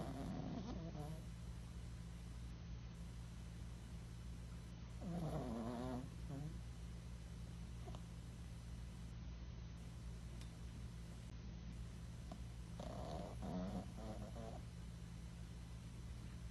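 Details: Tiny senior rescue dog, once abandoned in a cardboard box and now in a foster home, sleeping and snoring: soft low rumbling breaths with a steady low hum underneath, a few brief louder wheezy snorts.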